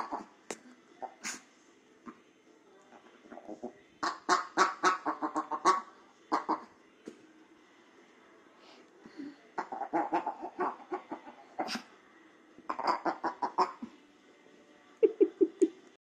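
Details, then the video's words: A female Shih Tzu growls in bursts of nasal, quacking, gremlin-like grumbles, broken by short pauses. "Adorable Shih Tzu sounds like a Gremlin"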